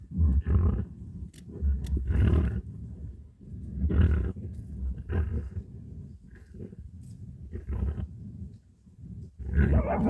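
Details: Badger in a fight, giving harsh, deep growling roars in bursts of a second or two, some rising into rasping snarls, separated by low rumbling and short pauses.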